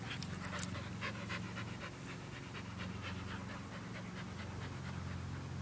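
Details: Panting from dogs at play, an Australian Shepherd mix and a Belgian Malinois mix; fast, rhythmic breathy huffs, several per second, with low tonal rasp and airy bursts.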